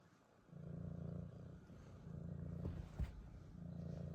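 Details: Siamese kitten purring: low, steady rumbling bands in pulses of about a second, with short pauses between, and a couple of brief clicks near the end.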